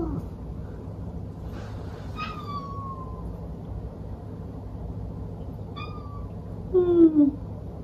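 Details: Domestic cat giving a few short meows: one drawn-out falling meow, then a brief pair later, and a lower descending whine near the end, over steady low background hum.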